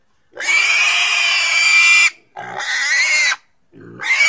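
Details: A pig lets out one long, shrill, strained squeal lasting nearly two seconds, followed by two shorter squeals separated by short pauses.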